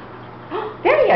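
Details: Raven, a Beagle up for adoption, gives a soft rising whine, then a loud, harmonic, wavering yelp-bark that bends up and down in the final moments.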